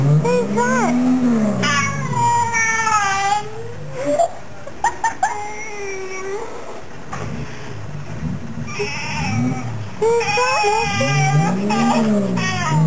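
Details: Lassie, the nine-to-ten-year-old Fox Terrier cross, answers her owner in a series of looping, up-and-down moaning whines between the owner's words. A revving car can be heard in the background.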